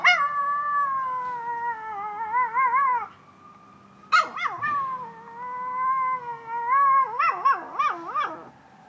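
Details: A toy poodle howls along with a passing fire truck or ambulance siren in long, wavering, tonal notes broken by quick yips, as she does whenever she hears one.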